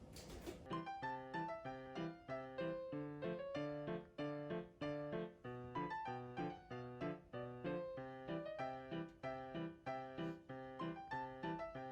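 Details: Steady piano music plays in a small room, with repeated chords and no animal voices.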